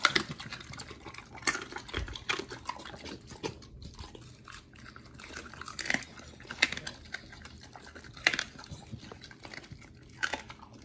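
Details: Raw-fed dogs Oli and nomy tearing into raw meat indoors, irregular sharp crunches and wet smacking sounds, louder bites near the second, sixth and eighth seconds, otherwise low room noise.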